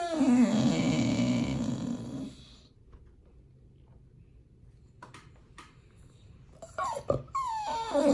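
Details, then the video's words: Pit Bull begging at feeding time before a raw food meal: a loud, rough harmonic whine with a growly edge for two seconds, a quiet gap with a few clicks, then a falling whimper near the end. "When nomyen the Pit Bull is begging for feeding"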